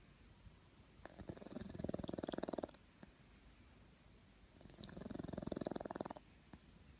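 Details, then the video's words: Domestic cat snoring: two rough, pulsed breathing bursts about two seconds long, spaced roughly three and a half seconds apart, with quiet pauses between them. "Snoring cat"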